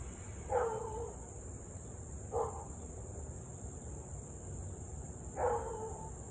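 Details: Siberian Husky in Louisville barking and howling for nearly 30 minutes straight, evening of 3 August 2021 at 6:24 pm; three short, distant, harmonic yelping barks spaced irregularly, over a steady high insect-like hiss and low background rumble.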